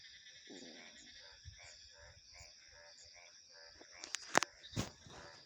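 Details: Frogs calling in a night chorus: short pulsed croaks repeated about every half second, over steady high insect and cricket trills, ending with a few sharp loud clicks.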